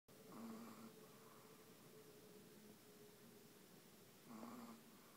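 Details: Pet dog snoring: two soft, raspy inhaled snores at the start and near the end, with a faint steady hum in the background of a quiet room.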